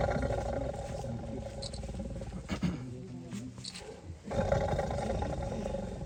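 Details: Tiger caught in a cage in Wayanad, giving deep, rough, rumbling growls that swell into louder roaring bursts near the end, with crowd voices talking throughout.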